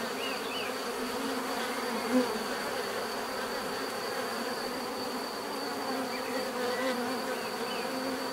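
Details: Natural buzzing of bees, a thick unbroken hum layered in low tones, with a brief louder bee passing close near the middle and faint distant bird chirps.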